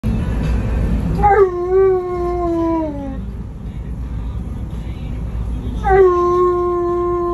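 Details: An Alaskan Malamute riding in a vehicle gives two long, rich howls over a steady low engine rumble.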